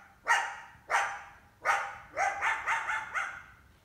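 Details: Coyote in summer, with at least one big pup, trying to hunt an indoor house cat; sharp barks, the first three well spaced, then a quicker run of three or four yapping barks with falling tails.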